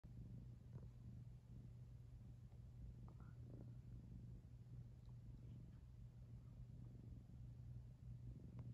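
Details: A domestic cat purring, recorded 25 June 2021: a steady low rumbling drone with a constant hum throughout, plus faint scattered clicks and small rustles.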